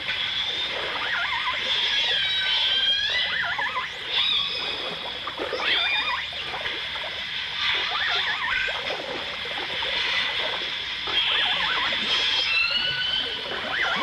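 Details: Dolphins from a 1989 stereo recording of dolphins and orcas: a busy chorus of many overlapping high, sliding whistles, some rising and some looping, over steady crackling clicks and underwater hiss.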